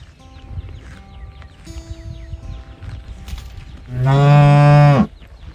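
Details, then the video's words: A calf calls out looking for its mother, giving a single low, strong moo of about one second near the end, preceded by quieter farmyard background with faint distant calls and chirps. "母親を探して鳴く子牛 ｜本物の牛の鳴き声"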